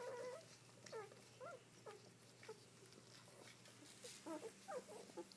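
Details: Newborn Dobermann puppies just after birth, a litter of seven so far with the mother still whelping. Faint, high squeaky cries and short whimpers repeat irregularly from several pups, over a steady low electrical hum.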